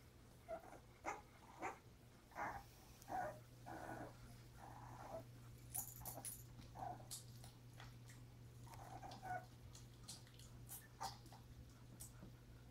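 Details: Mother dog Pepper together with her puppies, January 30: a series of brief high squeals and whimpers repeating roughly every second, then softer scattered squeaks, all over a constant low hum indoors.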